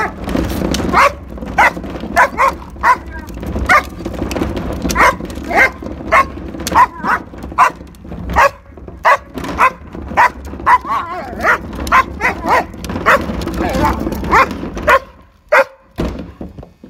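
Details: German Shepherd attacking the wheels of a garbage can pulled in from the street, barking in a long steady run of sharp, excited barks about every half second, with rolling and scraping noise underneath, falling quiet near the end.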